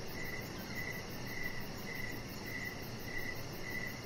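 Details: Outdoor evening cricket sounds near a deck where a chihuahua puppy lies; short high chirps come in a regular series about every two-thirds of a second over a steady hiss.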